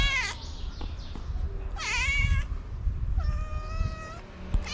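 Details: A tabby cat, apparently a stray, gives loud, rich meows to summon other cats for food.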